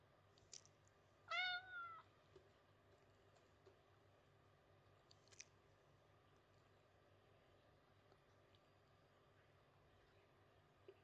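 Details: White domestic cat rubbing its body against a pillar indoors, meowing for affection; one clear, drawn-out harmonic meow that rises then falls early on, followed by a shorter softer meow, then near silence with faint clicks.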